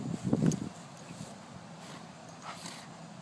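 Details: Two Golden Retrievers, Shai and Finn, at play: a short, low, gruff growling burst opens the recording, followed by quieter scuffling, breathing and faint rustling movement.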